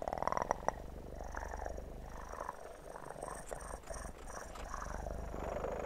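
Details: Close, continuous kitten purring for ASMR relaxation, a deep pulsing rumble with soft rubbing and crackling noises layered on top, a sharp tap near the start.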